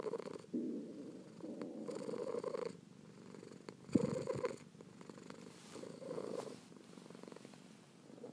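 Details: Kitten purring in a near-continuous low rumble that pulses with breathing, one sharp click midway through.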